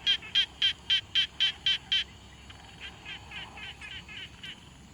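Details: Quiet-pond frog recorded on a Tascam Portacapture X6: eight loud, crisp, pulsed notes at roughly four per second, followed by a softer, more distant frog repeating similar notes.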